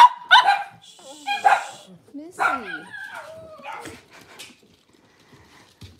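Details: Cavalier King Charles Spaniel puppies seen indoors on a kitchen camera, with quick high yips and sliding whimpers that fade into quiet near the end; a faint hum sits behind the first calls.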